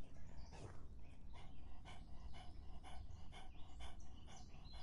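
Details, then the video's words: Dog drinking on a hot summer day, its soft, breathy lapping strokes repeating about twice a second under a steady low rumble of background noise. "더운 여름 강아지가 목 축일 때 나는 소리 The sound of dogs on their throats in the hot summer"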